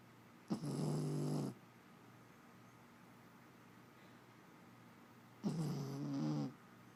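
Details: Female Jack Russell Terrier asleep, snoring in two rough, rattling breaths about five seconds apart, each lasting roughly a second, against a steady low background hiss.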